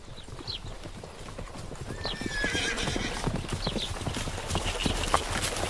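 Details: Several horses gallop outdoors with rapid, uneven thudding hoofbeats drumming on the ground, while birds sing in the background.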